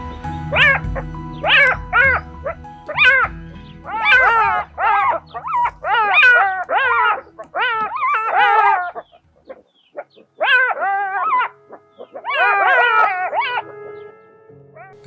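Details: Jackal alarm calling in the morning in the Kgalagadi Transfrontier Park, November 2021, directed at a leopard descending from a tree; rapid bursts of high, wavering yelping cries in groups, with music playing underneath.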